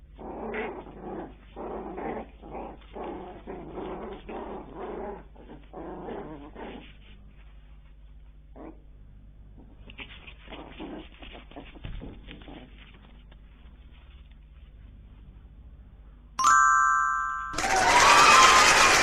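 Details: Bichon Frise puppies, growing up after birth, indoors: a run of short squeaky grunting calls for about seven seconds, a quiet pause, a few more calls, then an electronic beep and loud rustling.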